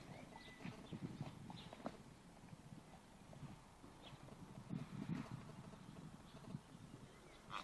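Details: Icelandic horse rolling on the ground and grunting: low, muffled grunts and thuds come in short bursts, clustered near the start and again around the fifth second, with soft rustling between them.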